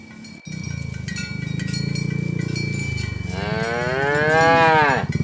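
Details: Cattle in a tame herd being driven along village roads toward the pen in the morning: a long low droning moo for about three seconds, then a louder, higher arching moo with rich harmonics, cowbells clinking steadily throughout.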